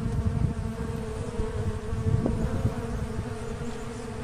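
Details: Steady low buzzing of an Asian honey bee colony splitting naturally and swarming. A thick, even drone with a faint higher hum layered above, plus brief flickers of louder wingbeat noise.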